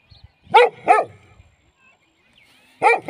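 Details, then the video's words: A domestic dog gives two loud, sharp barks in quick succession, falls silent for nearly two seconds, then starts barking again. "Dogs Free Sound Video 2023"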